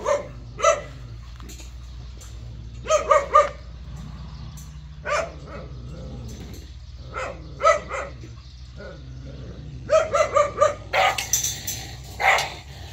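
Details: Jindo dog barking in short harmonic bursts, mostly single or doubled yaps spaced a few seconds apart, ending in a quicker cluster of four or five barks; steady low hum underneath.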